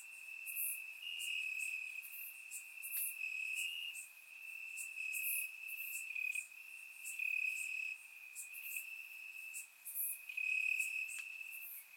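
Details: Summer night chorus of crickets in grass, Bulgaria, surround recording: one unbroken high trill runs throughout, rising slightly in pitch now and then, overlaid by many short, sharp chirps from other crickets.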